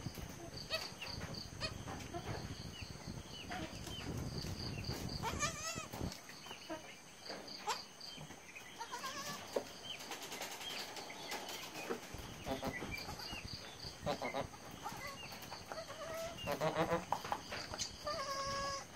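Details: Domestic goat bleats just after a birth of three kids: quavering, wavering bleats rise out of a busy, noisy farmyard background with scattered knocks and rustles.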